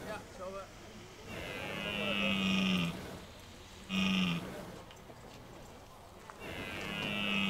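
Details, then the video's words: Red deer bellowing in the rut, Hoge Veluwe park, 2023. Three separate moaning roars, the first and last long and sustained and the middle one brief, with quieter stretches between them. "Bronst Edelherten 2023"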